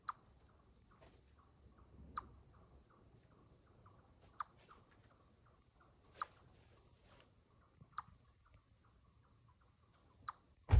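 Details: Territorial chipmunk chirps: crisp chip notes repeated roughly every two seconds, with softer quick chips between them, over a quiet background and a loud thump at the very end.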